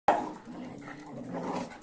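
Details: Angry dog indoors as a Kuvasz squares off against a Boerboel and a sheepdog to settle who is boss: one sharp, loud bark, then a lower, rough, rumbling growl that swells again near the end.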